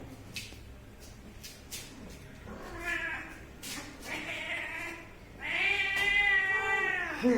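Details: Domestic cat meowing in a playful home setting: a few short calls, then a loud, drawn-out, wavering meow that rises and falls, with faint speech and a little background music.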